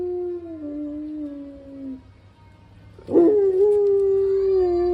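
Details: Pet dog in San Diego howling along with fire engine sirens: a long steady howl sliding slightly downward over two seconds, a short pause, then a rising scooped onset that settles into another sustained, wavering howl.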